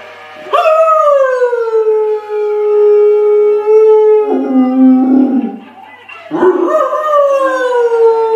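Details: Dog howl in long, slowly falling drawn-out notes, a first sustained wail of nearly four seconds, a brief lower rougher break, then a fresh rising howl that trails downward again.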